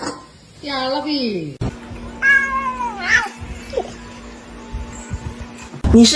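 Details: Cat meowing amid a funny cat compilation: two drawn-out harmonic meows that slide downward in pitch, the second higher and sharper, over a steady low hum with laughter and voices nearby.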